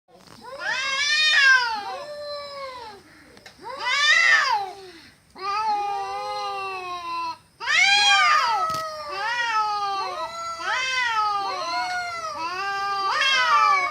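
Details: Cats fighting produce loud, harsh, wavering yowls that rise and fall in pitch, overlapping and repeating almost without pause for the whole stretch, with only brief gaps between bouts.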